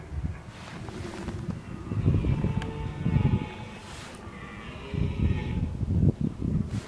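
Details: October 2014 red deer bolving ahead of the rut, two deep guttural roars, one lasting about a second early on and another later, set against low wind-like rumble and faint higher tones.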